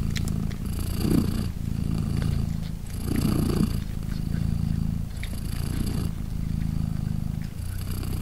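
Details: Low, continuous rumbling purr from Polina, a British Shorthair mother cat hugging and nursing her three newborn kittens, 3 days old. The purr swells on each breath, roughly every two seconds, with soft breathy rustles.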